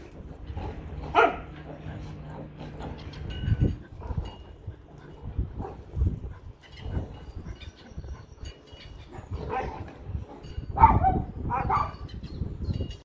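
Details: Dogs at play, giving short scattered barks and high whimpering yelps, loudest near the start and again toward the end, with people talking throughout.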